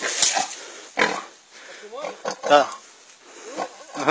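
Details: Pig being squeezed and choked by an anaconda, uttering strained, wavering squeals that rise and fall, several in quick succession, mixed with people talking nearby.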